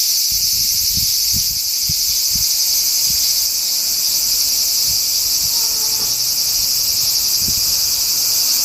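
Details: Hidden cicadas on a summer day, 4 August 2017, keep up an unbroken shrill buzzing chorus with a slight pulsing texture, over a scatter of soft low knocks and a brief faint tone midway.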